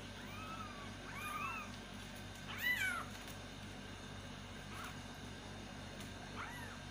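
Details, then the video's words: Baby kittens crying for their mother: several overlapping arched meows, one louder and higher near the middle, then a couple of fainter calls, over a low steady hum with scattered clicks. "angry Baby kittens meowing loudly for mom cat | kitten calling mother cat"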